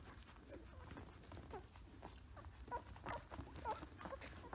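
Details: Two-week-old Samoyed puppies up close, giving short squeaky whines in a loose cluster in the second half. Soft rustling and bumping noises run underneath.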